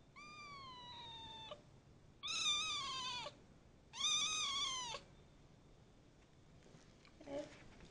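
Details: Kitten ten days after adoption meowing: three clear drawn-out tonal meows, the first slightly falling, the next two louder and level, each about a second long, followed by a faint short sound near the end.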